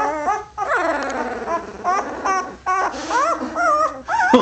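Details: Full-bred Labrador Retriever puppies only a few weeks old, a litter of five black and three brown, give high, thin whimpers and whines that glide up and down in pitch, over nearly continuous sound with human voices nearby.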